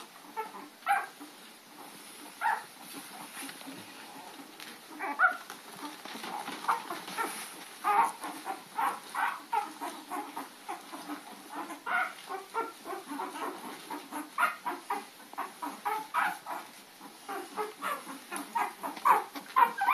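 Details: Puppies chasing an adult dog named Lady, recorded April 4, 2013; a steady run of short, sharp yips and barks comes in quick bursts over twenty seconds, with overlapping voices and a faint constant high hiss behind.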